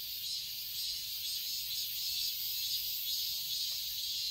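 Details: In a Seoul garden in Korean summer, a massed cicada chorus fills the air with an even, high-pitched hiss-like buzz, lightly throbbing, and nothing else stands out.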